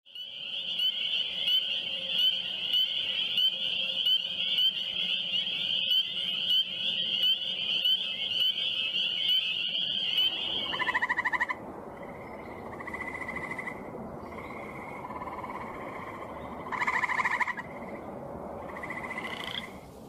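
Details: Frogs calling in Michigan: a long, steady high trill, then shorter bright notes repeated every second or two.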